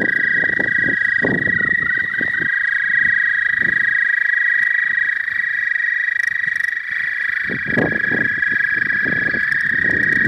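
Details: ['Early-spring frogs calling at a pond, captured with a new phone; a continuous buzzing trill runs unbroken at a fixed high pitch while bursts of low rumbling noise come and go beneath it.']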